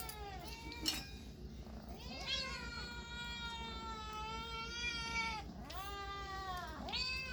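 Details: Cats and kittens giving a run of meows: a short descending mew, then a long sustained wavering meow lasting about three seconds, followed by two shorter downward-curving meows, steady background hum throughout.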